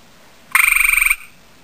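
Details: A male gray tree frog (Hyla versicolor), having seen a female, calls to her with one brief, ringing trill: fast, evenly spaced pulses run together into a bright, slightly buzzy note lasting just over half a second.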